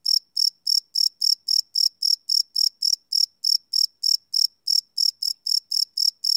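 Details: Loud, regular cricket chirping at night from a live Sony PCM D100 recording, shrill high-pitched pulses about three and a half per second with no other sounds.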